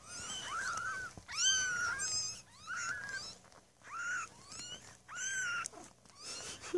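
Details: Newborn Maine Coon kittens, six born on 8 May 2015 at a cattery, mew in high, arching cries, several voices overlapping in quick succession.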